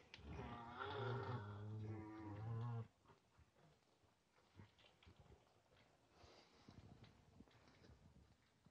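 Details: Farm-kept nutria, a male newly introduced to a group of eleven females, sitting by the food and keeping others away; one sustained, deep, cow-like moan lasting about three seconds, then faint rustling and background noise.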